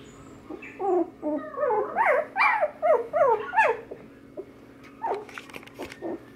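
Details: Wire Fox Terrier puppies, littermate brothers, kept at a pet shop in Nara, Japan; a rapid run of high whimpering yips with rising and falling whines, several overlapping, then a few sharper short yelps near the end.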